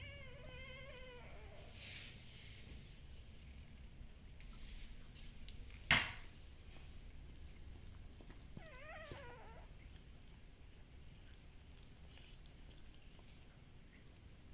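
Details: Shiba Inu puppies, described as very active, at a Dutch breeder's: a short wavering whine opens, then a sharp knock, then a second quavering whine, with quiet low hum between.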